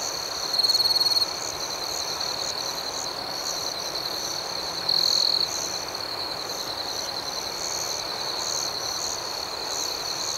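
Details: Nighttime cricket chorus: a constant thin, high trilling carpet with two louder, clearer trills, one near the start and one about five seconds later.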